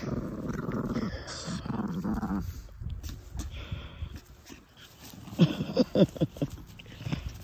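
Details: Chihuahua relaxing in the shade in the afternoon, happy and content, giving low rumbling growl-like snorts, then a cluster of short sharp snorting bursts near the end; a woman laughs and talks.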